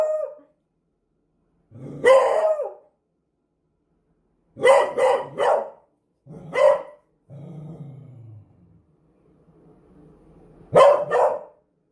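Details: A Beagle gives scattered loud barks, first single, then a quick burst of three, then single again, with a low rumbling growl and a faint whine between the barks. No other sounds are heard.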